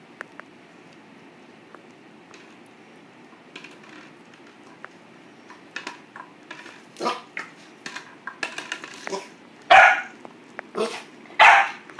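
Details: Boxer puppy barking at a plastic bottle: after quiet scuffling and rattling, short sharp yappy barks start around seven seconds and come in irregular bursts, growing louder toward the end.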